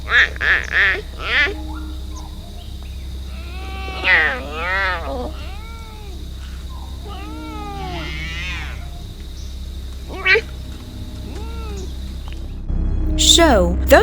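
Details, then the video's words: Clouded leopard, with the voice of an angry cat, giving a series of short arched snarling calls with rising and falling harmonics, irregularly spaced, some in quick pairs; a constant low hum and a faint high tone run throughout. "a clouded leopard has the voice of an angry cat its smallest body compared to other big cats makes the clouded leopard"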